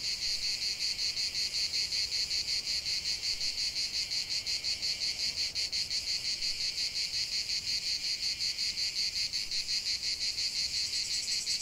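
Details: Singing cicadas outdoors: steady high-pitched buzzing chorus, rapidly throbbing at an even rate, dense and continuous for the whole stretch.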